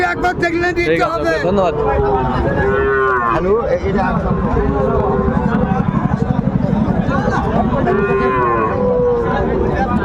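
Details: Sahiwal bull calves being bought and sold at the start of trading at Raniganj cattle market, Dinajpur, on 22 January; deep harmonic moos, one drawn out early and another later, rise above constant crowd chatter and human voices.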